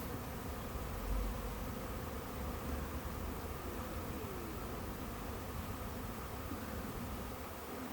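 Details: A backyard bee swarm in Huntington Beach, thousands of bees trying to settle in a bush: a steady, dense buzzing drone over a heavy low rumble, with a few louder thumps near the start.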